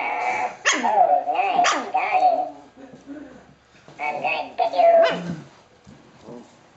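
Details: Chihuahua puppy playing with a ball while resting on a blanket, giving several sharp high yaps between whiny, growly, wavering vocalizations, with short quiet gaps, indoors.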